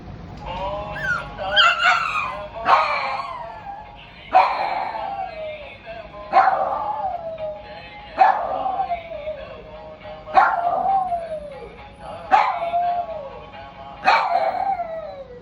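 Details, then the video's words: Pet dog 'singing' along to devotional music: long drawn howls that start high and slide downward, repeated roughly every two seconds, with faint music and a person encouraging it to keep singing. "My dog my lo singing…."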